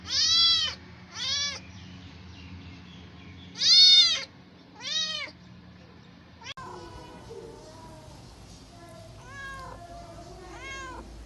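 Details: Stray cats asking for food: four loud, bright meows in two pairs, then several softer, lower mews over a rougher, noisier background.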